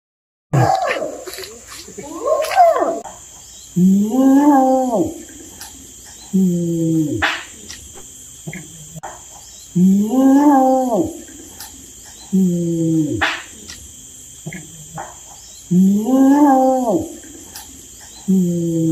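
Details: Orangutan calling in a repeated series of rising-then-falling moaning tones, each lasting one to two seconds and coming every few seconds, over a steady high-pitched hiss.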